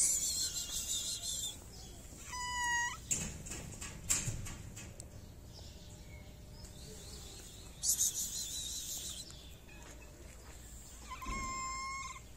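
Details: Hungry stray cats in a Moroccan city, begging for food and attention, give two short tonal meows about eight seconds apart. Bursts of hissy, rustling noise fall between the calls.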